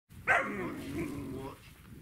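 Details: German Shepherd during a day-one-to-seven reactivity training routine: one sharp bark that runs into a lower, drawn-out whining tone lasting about a second, then quiet. A handler's voice is heard afterwards.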